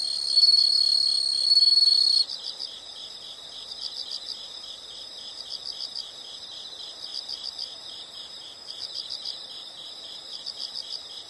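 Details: Insect chorus presented as a relaxing nature sound: a loud continuous high trill for two seconds, then quieter bursts of rapid high-pitched chirps repeating at about four per second.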